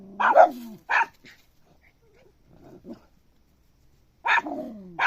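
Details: Puppy giving a few sharp, high barks with a whining, falling tail, a soft grumble in the middle, then two more yaps after a pause; otherwise quiet.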